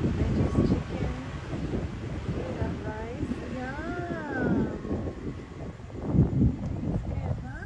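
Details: Ownerless street cats and kittens in a city, being fed: a few rising-and-falling meows bunched in the middle, half buried under wind on the microphone, passing traffic and a person talking.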